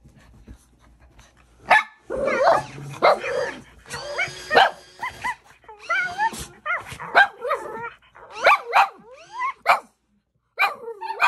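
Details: Shih Tzu named Yoshi reacting indoors after finding an electronic Fluff toy pet sitting in his parked dog stroller: sharp yapping barks in rapid bursts, mixed with tonal whining and squealing sounds that sweep up and down.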